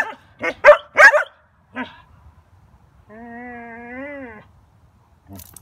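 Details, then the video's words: Collies barking joyfully. A cluster of loud overlapping barks and one lone bark are followed by a long, smooth, wavering whine-like tone lasting over a second. A faint bark comes at the end. "Collies Barking in Joy"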